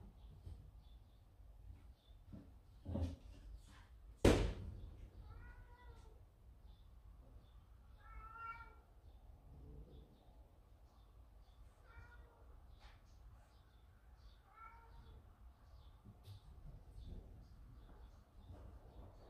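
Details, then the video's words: Kitten of a yard-kept mother cat, frightened by another cat outside the door; after loud knocks and a thunk, short stacked-harmonic mews recur every few seconds over a quiet room hum. "아기 고양이에겐 너무 무서운 고양이"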